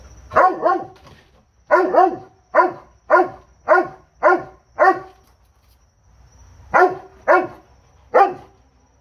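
A Doberman barks in loud, deep bursts, some doubled, with short pauses between.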